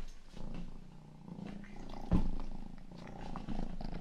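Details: Rang-i, the youngest pet cat, purring indoors during an ASMR ear-grooming session; a steady low rumbling purr runs throughout, with one sharp louder tap or click near the middle.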